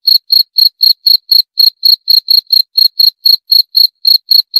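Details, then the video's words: Cricket chirping steadily, short high-pitched pulsed chirps repeated about four times per second with a shrill overtone above, one brief skip near the middle; no other sounds. "28 Menit Suara Jangkrik - 28 Minutes Cricket Sound Effect"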